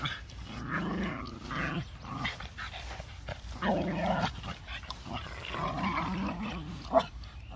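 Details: Four Boston Terriers, one older dog with puppies, playing indoors: rough, grumbling growls and throaty snarls rise and fall in bursts every second or so, with short gaps and a sharp yip near the end.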